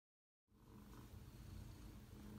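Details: Fiona, a Domestic Shorthair cat up for adoption, recorded 1 March 2018 in the evening: after half a second of silence, a soft, steady low rumbling purr with a gently pulsing texture continues to the end.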